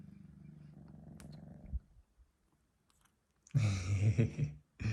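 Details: Senna, a young male Sphynx cat aged three months, after a nap, on an iPhone 12 Pro Max; a low purr for nearly two seconds, silence, then a louder rougher burst, perhaps a yawn.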